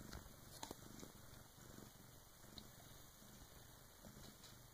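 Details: Bengal cat purring while her first kitten is born in the early hours near 3 a.m., her big sister helping; soft, less regular low rumble with a few small clicks and rustles.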